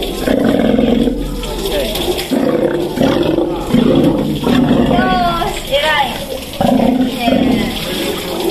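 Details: An elderly captive Steller sea lion at an aquarium in Ise, Japan, recorded in autumn while calmly allowing blood sampling; low, rough roaring bursts come roughly every second, with human voices and talking heard alongside.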